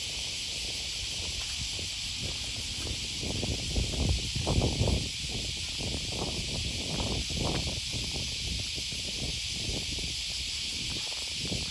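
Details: Continuous high-pitched cicada droning along the Okawa River in Osaka, Japan, on the first Thursday morning of August 2020, with a walker's footsteps thumping louder midway and urban rumble below.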